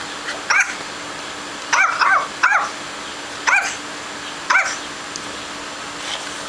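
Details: Yorkshire Terrier puppy Tobi, born around December 2010 and filmed in May 2011, gives short, high, sharp yips, singly and in quick pairs, about once a second, over a quiet indoor background.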